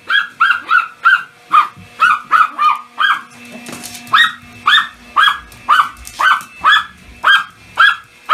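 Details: Excited Pomeranian yapping and jumping at a vacuum cleaner, rapid high-pitched barks roughly two per second in quick runs with brief gaps, a low motor hum running beneath and a short clatter midway.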